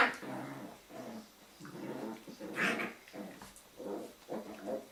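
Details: Several Jack Russell Terrier puppies of one kennel litter wrestling at evening playtime, rumbling in a steady chorus of low throaty growls that swell and fade roughly every half second, with a brief higher yip midway.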